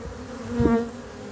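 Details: Honey bees at a hive in cold weather, with young bees and young drones making first orientation flights from a drone-laying colony; a brief steady buzz swells and fades around a low hum.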